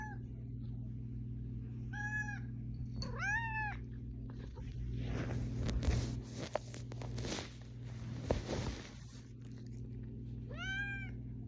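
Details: Pet cat meowing to wake its owner: four harmonic, arching meows, two close together near the start and one at the end, separated by a stretch of broadband rustling and thumping noise over a steady low hum.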